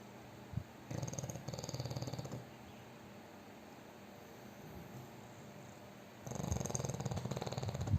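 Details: Fat pet pug asleep and snoring very loudly: low, rough, rattling snores in two long pulsing bursts, near 1 and 6.5 seconds, separated by quieter breathing.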